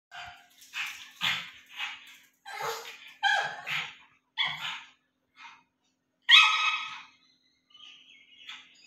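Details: Juju, a pug puppy, in the company of a duck, gives a run of short, high, yappy barks and squeals. They come in uneven bursts with brief silent gaps between them.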